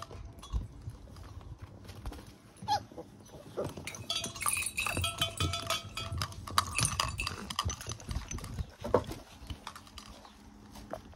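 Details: Golden Retriever puppies, 35 days old, playing together on 6 June 2024, one attacking another from behind; scattered short yips and squeaks mixed with scuffling and thumping, busiest in the middle stretch before quieting again.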